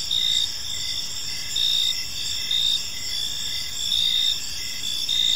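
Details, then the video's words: Crickets calling in a peaceful park on an evening, a bright shimmering chorus of high trills with louder pulsed chirps recurring about every one and a half seconds over faint low rumble. "Cricket Sounds in a Peaceful Park"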